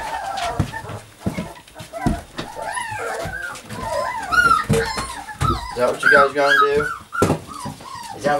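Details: Puppies Savannah and Jericho at playtime, giving a run of high arched whines and short yelping squeals that rise and fall, denser toward the end, while a person talks to them and handling noises thump in between.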